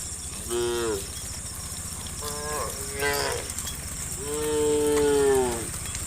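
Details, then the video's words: A herd of cows being herded toward a farm pen moo in turn: three harmonic lowing calls, the last longest at over a second, over a steady high hiss of insects. "the sound of cows mooing"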